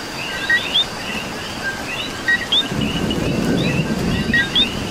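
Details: Puerto Rican coqui calling through rainfall, its quick two-note "co-qui" with a rising second note sounding several times while a low thunder rumble swells midway under steady rain and a chorus of chirps.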